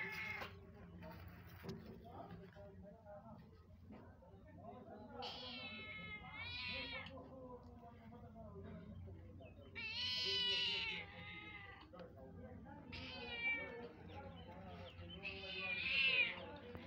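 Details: Mother cat calling her newborn kittens; paired and single harmonic meows rising and falling, spaced several seconds apart, the last ones loudest, over low background rumble.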